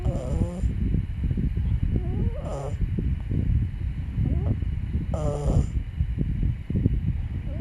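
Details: Byeol the puppy snoring in sleep, deep rattling breaths topped by high, warbling nasal squeaks that return roughly every two and a half seconds, three times.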